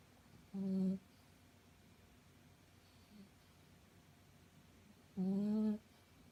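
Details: A sleeping five-month-old female Shih Tzu puppy gives two droning, nasal, hum-like snores about four and a half seconds apart, each under a second long, with near silence between them indoors.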